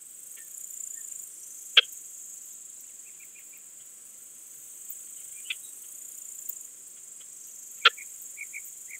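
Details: Balkan Speckled Bush-cricket at Vela Ucka, Croatia, on 10 July 2022, made audible with a Pettersson D 100 ultrasound detector: sharp, isolated clicks spaced several seconds apart, with faint short ticks between them over a steady high hiss.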